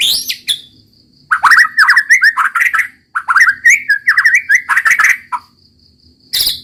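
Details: White-rumped shama singing hard, likely caged; rapid loud phrases of rich whistled and warbled notes in two long bursts with a brief pause, interspersed with sharp high clicks and a soft steady background tone.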